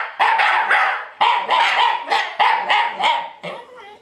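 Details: Shiba Inu dogs at home howling along to music: loud bouts of rapid, strained yip-howls, about three pulses per bout, each bout separated by a short gap, fading toward the end.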